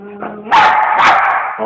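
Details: A playful 8-year-old female Siberian Husky with her owner, captured on a Samsung Star GT S5230 phone. A low tonal whine is followed by a sudden loud, rough bark-like outburst and a second louder peak.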